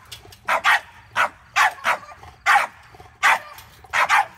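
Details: Reactive, aggressive French Bulldog that has bitten someone, heard before obedience board-and-train: harsh, sharp barks, mostly in quick pairs, about nine barks over four seconds at an uneven rhythm, with a quiet background.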